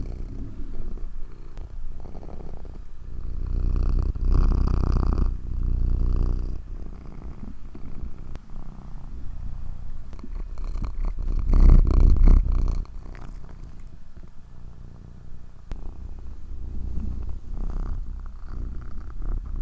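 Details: A cat purrs in a steady low vibration with rapid pulses, growing noticeably louder in two swells around five and twelve seconds, then settling back to a gentle rumble.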